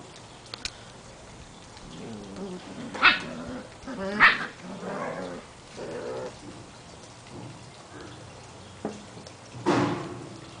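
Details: Portuguese Water Dog puppies, seven weeks old, playing outside: harmonic play growls and whiny vocalizations rise and fall, punctuated by two sharp yelps and a final loud bark over faint background noise.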